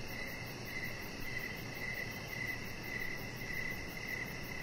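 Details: Evening crickets near a deck, fainter here: soft high chirps recurring roughly every 0.6 seconds, partly blended into a steady hiss and low rumble.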